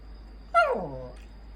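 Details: Former stray poodle Puyonce fussing for attention gives a single whiny groan that starts high and slides steadily down into a low rumble, followed by a faint short squeak, over a quiet room hum.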